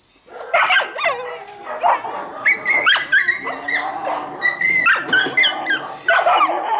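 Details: Hungry Samoyed puppies awaiting a feed of fish: a dense, continuous chorus of shrill whimpers and short yips from several pups at once, pitched bends and squeals overlapping throughout.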